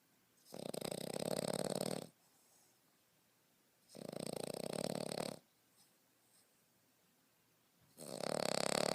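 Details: A French Bulldog puppy aged 5.5 months snores in its sleep. Three harsh, rattling snores of about one and a half seconds each are spaced some three seconds apart, with soft exhales between them.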